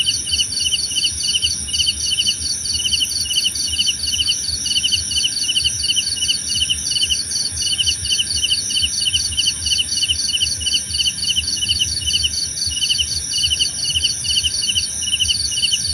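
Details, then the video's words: Crickets calling in a natural night-style soundscape meant for calm and meditation, rapid pulsed trills repeating in quick regular bursts over a continuous high-pitched drone, nothing else clearly heard. "Suara Jangkrik Membahana!"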